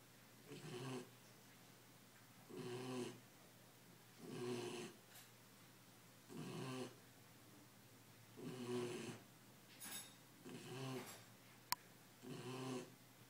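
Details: A ten-week-old Belgian Malinois puppy, tired and happy, sleeps indoors and snores steadily. About seven rasping, breathy snores come roughly every two seconds against a quiet room hum.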